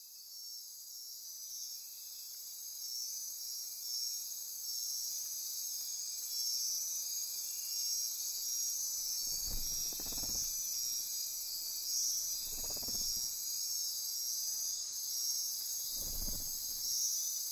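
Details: Dense nighttime insect chorus in rainforest near Corcovado National Park on Costa Rica's Osa Peninsula, a steady high shimmering hiss with pulsing, trilling layers; three soft low thuds break in near the end.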